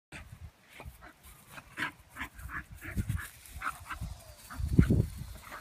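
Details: Two miniature bull terriers, an older dog and a new puppy, playing: low rumbling growls and short yipping bursts.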